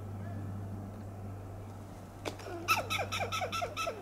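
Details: Western gray squirrel on a coast live oak in Del Monte Forest, California, giving loud alarm calls: after a quiet low hum, a quick run of staccato, clucking barks, about four per second, each a sharp harmonic chirp with a falling lower tail.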